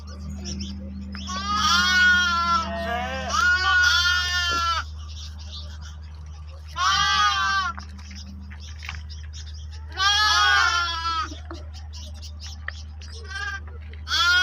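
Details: Lambs and sheep meeting, several quavering bleats in bursts of one to two seconds, some overlapping, spaced by quieter gaps with a steady low hum throughout.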